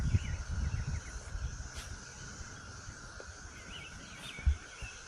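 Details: Cicadas drone steadily in trees, a continuous high buzzing hum said to sound like crickets, with faint bird chirps and loud low rumbling from footsteps and handling, while walking puppies after morning drizzle with sun out and more rain expected.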